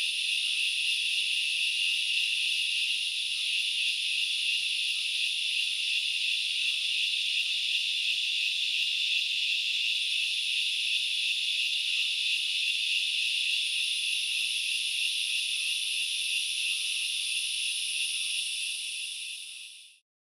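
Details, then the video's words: Steady high shrilling of many grasshoppers in forest at Knuckles Reserve, Sri Lanka's Central Highlands, holding constant for most of the stretch before fading out to silence at the end. "The sound of locusts / The grasshoppers sounds"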